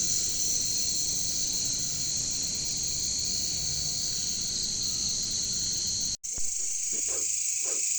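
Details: Jungle bush crickets, or caricangkas, make a constant high shrill drone. After an abrupt brief dropout near six seconds, the drone returns with a few low knocking pulses beneath it.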